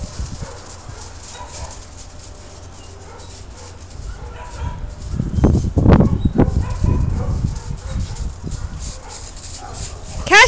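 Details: Several Weimaraners together, with a cluster of loud, rough barks in the middle followed by lower scattered barking, and a sharp rising whine right at the end over steady background noise.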